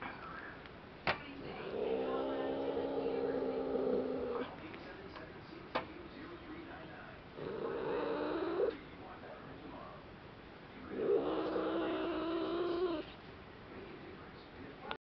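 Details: Domestic cat growling and hissing when bothered, striking out at the person handling her; three long harmonic growls of about two seconds each, low and rough, separated by short pauses and sharp clicks.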